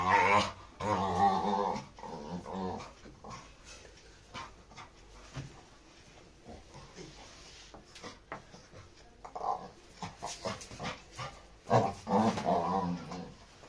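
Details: Aggressive Labrador retriever growling while fighting with another dog; harsh, buzzy snarling bursts at the start and again near the end, with quieter scuffling and short rasps between.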